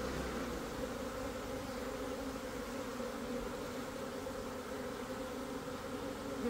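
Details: Italian honey bees in swarm mode beginning to enter a waiting hive in southeast Texas; a dense, even buzzing hum holds steady throughout with a slight swell at the end.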